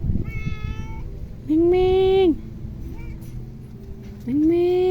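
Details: Male Persian cat meowing: two loud, drawn-out harmonic meows, each level then dropping at the end, about three seconds apart, with softer, fainter vocal sounds before them and a quiet indoor background.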